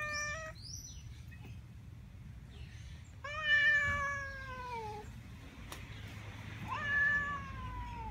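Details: Feral-colony tabby cat meowing angrily at other cats: a short rising call, then two long wailing meows that slide downward in pitch, separated by brief pauses over low rumbling background noise.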